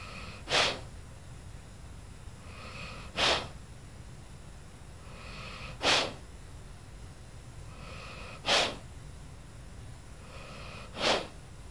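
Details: Sleeping old dog Lula snores steadily at Christmas in a quiet indoor room, five breathy snorts at even intervals of roughly two and a half seconds, each a faint rasping inhale ending in a sudden hissy, snuffling exhale.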